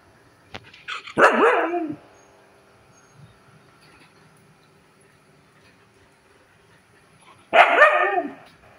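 A Siberian Husky grumbles in two short, throaty, wavering bursts separated by a long quiet pause.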